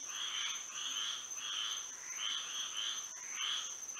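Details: Frogs singing together at night under moonlight in Florida: buzzy, trilled bursts repeating roughly every half second in an uneven rhythm, overlapping one another, above a steady high-pitched drone.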